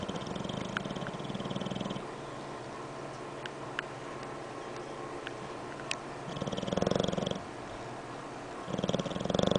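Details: Sleeping English Bulldog snoring: rough, fluttering, vibrating breaths in bursts, one at the start, another around six and a half to seven and a half seconds, a third at the end, separated by quieter breathing with a few faint clicks.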